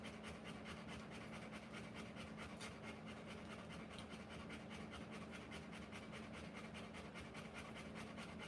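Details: A Rottweiler mother giving birth pants rhythmically, about two to three breathy puffs per second, evenly sustained throughout. A constant low hum sits in the background.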